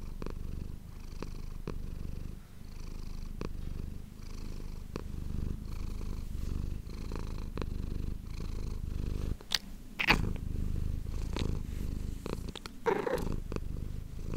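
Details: A pet cat named Manis purring, captured on an ASMR microphone indoors: a continuous low, buzzing rumble that swells and fades with each breath, broken by a few sharp clicks and rustles near the end.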